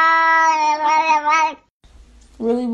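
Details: Domestic cat yelling as if talking like a human; a long drawn-out meow with a wavering middle, a short gap, then another meow beginning, recorded indoors.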